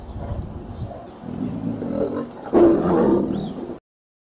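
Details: Tiger growling low and rough, then releasing one sudden, loud, raspy roar that holds for about a second before cutting off.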